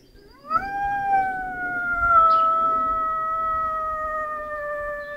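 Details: Pet lurcher, a long dog, howling indoors: after a brief quiet start, one long sustained tonal howl rises quickly, then holds steady and slowly sinks in pitch for about four and a half seconds.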